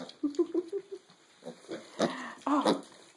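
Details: Young mini pigs, six and a half weeks old, feeding together; a quick run of short tonal oinks, then louder rough grunts and a squealy grunt, with a woman's voice close by.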